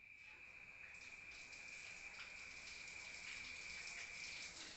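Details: Crickets at night in a rural setting, heard from inside a room: a faint, steady, high-pitched trill runs unbroken through the whole stretch beneath a soft, rushing, hiss-like background noise.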